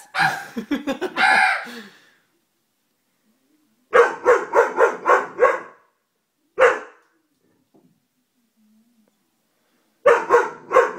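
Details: Doberman barking in sharp, harmonic bursts: a rapid series at the start, a run of about six barks near four seconds, one lone bark, then another quick volley at the end, with silent gaps between.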